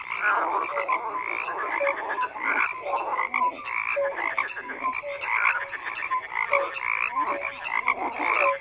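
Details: Frogs croaking in a dense chorus, many overlapping rasping pulses mid-pitched with short tonal notes scattered throughout, steady and continuous with no pauses.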